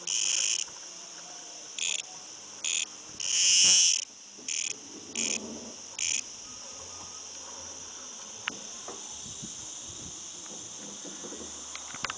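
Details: Outside a house, a cicada produces a run of short shrill buzzes, one longer swelling burst among them, over the first six seconds; afterwards only a steady high insect drone and faint low background noise remain.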